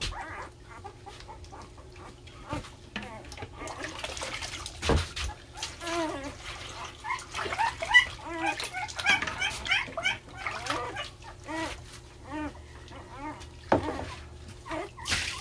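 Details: Several puppies crying loudly, competing for attention while being bathed after getting dirty; dense, overlapping high arched whines and yelps repeat rapidly throughout, with scattered clatter and a voice underneath.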